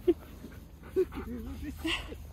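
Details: Keyush, a male husky, talks insistently at home, wanting something, perhaps a biscuit before breakfast; short wavering, whine-like tones that rise and fall, with a few sharp yelps across two seconds while a person speaks to him.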